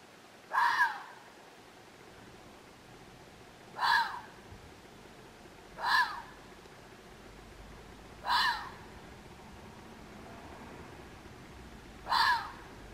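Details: A red fox in Waterloo, Belgium, gives single hoarse, rasping barks spaced two to four seconds apart.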